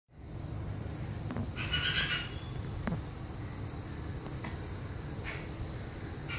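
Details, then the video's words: Yellow-throated martens, a male and a female, during their introduction to each other: one harsh, raspy squawking burst lasting under a second, then a few faint clicks over a steady low rumble. "Yellow-throated martens: introduction of male and female"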